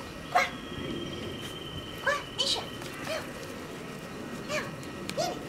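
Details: Two-month-old West Highland White Terrier puppy, newly brought home and being called, gives short, rising, squeaky yips and whimpers spaced over a few seconds, alongside a person's calling voice and a faint steady background tone.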